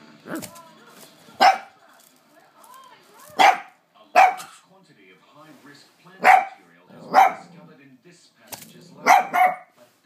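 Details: Lhasa Apso dog barking at a hoover it is scared of. Loud, sharp single barks come irregularly every one to two seconds, with a pair close together at the end. Faint whines sit between them.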